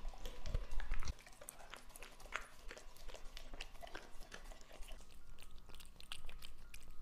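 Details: English Labrador Lucky, two and a half years old, chomps on raw meat indoors: heavy thuds in the first second, then steady soft crunching and squelching over a low, constant hum.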